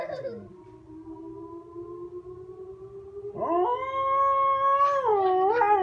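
A Siberian Husky gives a long, sustained howl that jumps higher and holds a steady, wavering tone.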